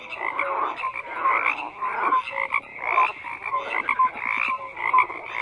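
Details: Dense frog chorus of overlapping croaks, many callers at once, with short pulsed notes and brief rising tonal chirps recurring roughly every second over a steady buzzing bed.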